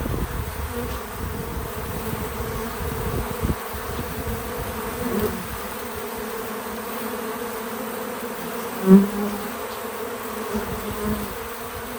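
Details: Outdoors at a feeder on a small farm, bees keep up a soft, even droning hum. A brief, sharper buzzing pass stands out near nine seconds, as if one insect flies close. Faint low rumble, no speech.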